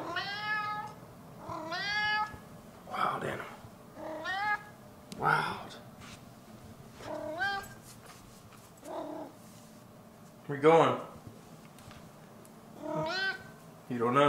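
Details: Maine Coon cat meowing repeatedly, about eight short harmonic meows spaced one to two seconds apart, some rising then falling, with a person talking softly in between.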